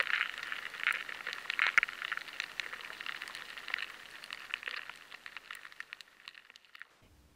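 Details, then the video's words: Rice weevil larvae scraping inside stored grain find it harder to scrape, so the sound changes: dense crackling ticks that gradually thin out and grow fainter, in a high-sensitivity recording of stored-product pests. "The rice weevil larvae find it harder to scrape at the grain and the sound changes."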